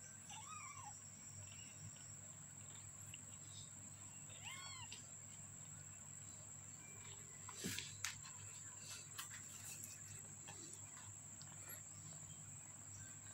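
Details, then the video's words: Fifteen-day-old kitten mewing: a short, rising-falling cry near the start and another about four seconds later, each thin and high, over constant hiss, with a few soft clicks and knocks later on. "The kitten today is 15 days old ."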